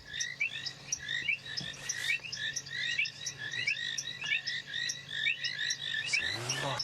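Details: At sunset on 23 February 2017 in the African bush after rain, a dense frog chorus of painted reed frogs ticking rapidly gives overlapping high, clicking calls to attract mates.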